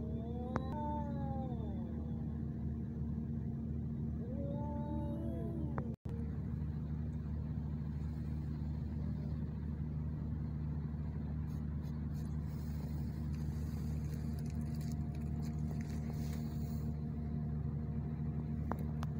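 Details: Two male ginger cats fighting in Al Rahmanya, Sharjah, UAE, filmed handheld on a phone camera: wavering, rising-and-falling yowls fill the first five seconds over a steady low engine hum, which continues alone afterward.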